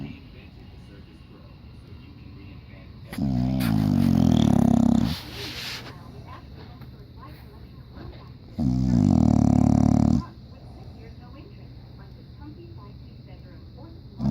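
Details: English Bulldog in diapers sleeps and snores loudly, with two drawn-out, deep, vibrating snores of about two seconds each, spaced several seconds apart with quieter breathing between.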